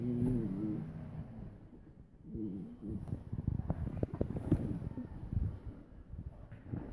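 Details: Two dogs, Suzy the Doberman and Chica the Min-Pin/Terrier, playfight: brief low harmonic growls open the clip, another growl follows midway, amid scuffling thumps and bumps of rough play.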